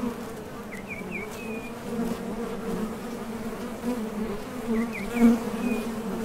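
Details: Honey bees buzzing at the entrance of a top bar hive as foragers leave and land on trips for nectar; a steady low drone with a brighter overtone, swelling near the end, while faint high bird chirps rise twice in the background.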